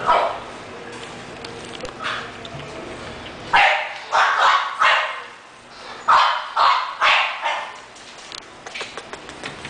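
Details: English Bulldog barking in a quick series of deep, gruff barks, about two per second, forming two bursts in the middle of the recording, with fainter barks and room noise before and after.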